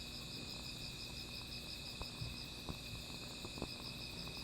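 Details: Night insect chorus by a small fire, a continuous high-pitched ringing with a fast pulsed trill layered over a lower steady tone, broken by a few louder fire pops and soft crackling.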